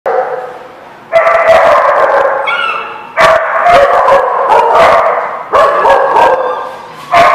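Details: Dogs barking at a kennel lot, several overlapping voices in sharp bursts clustered in three loud bouts separated by brief quieter gaps; constant background chorus of more barking.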